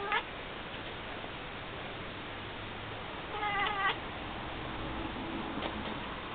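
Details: Pet cat indoors staring out a window at birds, giving a short harmonic, nasal call with a slightly wavering pitch around the middle, after a few faint clicks; steady low room hiss throughout.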